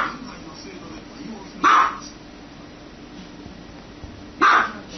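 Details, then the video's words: Two loud, abrupt dog barks about three seconds apart break through a steady hum of background noise. "Dog barking sound"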